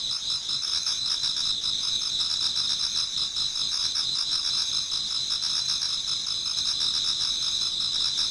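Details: Numerous insects singing in a Japanese garden near dawn in autumn; a sustained high-pitched shimmer with fast pulsed chirps repeating roughly two to three times a second, steady from start to end.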